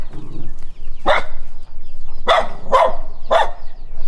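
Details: Dog reacting to a stranger, barking while running: four short, loud broadband barks after a faint low sound at the start, spaced roughly half a second to a second apart.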